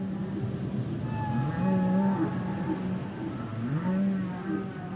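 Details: Humpback whale song with drawn-out low moans and wavering tonal units, some rising and falling, layered over a constant deep underwater rumble.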